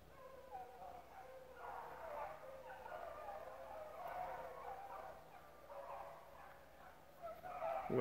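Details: Hounds running rabbits at the Relay Hunt club, a mixed group of adults and pups, bay together in a steady, wavering chorus that swells midway, then fades before a loud close sound at the end.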